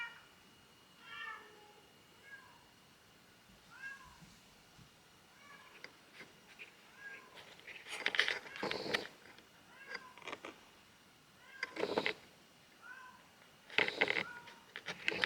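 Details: Kitten trapped in a neighbour's garage, third day after its crying was first heard, while a companion cat seems worried; repeated short rising meows about every second, with louder broadband knocks and rustles in the second half.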